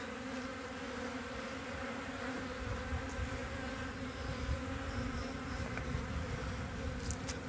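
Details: Honey bee colony covering three frames on 14 February 2021, humming in a continuous, even, low drone with a clear overtone throughout. Faint rustling underneath.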